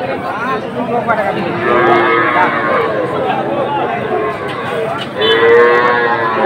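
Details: Sahiwal bull calves bought by a Kushtia farmer at Ambari cattle market, Bangladesh, on 24 May 2024: several drawn-out, rising and falling moos overlap amid a crowded market with background chatter.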